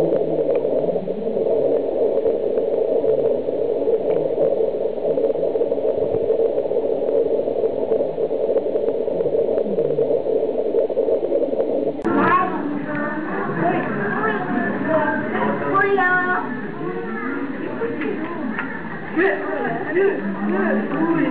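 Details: Meerkats at Ueno Zoo break into a flurry of squeaky, rising and falling chirps and squeals while competing over small bits of food.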